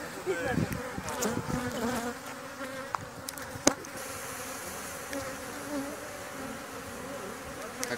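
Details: Bees in Greece being handled for venom collection, Thessaloniki, October 2017; a steady mid-pitched buzz of many insects with occasional sharp clicks and a soft background hiss.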